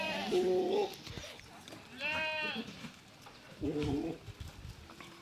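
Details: Beetal goat at Green Acre farms, Erenahalli village on Nandi Hills Main Road, Bangalore rural, Karnataka: three wavering, nasal bleats, the middle one higher and richer in overtones, with faint voices in the background.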